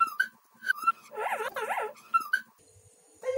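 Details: A domestic cat in New Zealand answers a person asking if it wants meat with a warbling meow that rises and falls twice in quick succession. Short spoken phrases come before and after the call.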